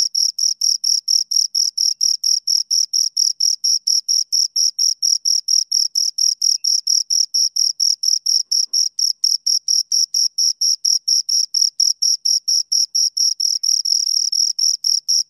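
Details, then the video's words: Two crickets keep up a long, unbroken run of high, rhythmic chirps, roughly four per second, each short pulse shrill and scraping, with a clean quiet background and nothing else audible. "Two Crickets Chirp Sounds"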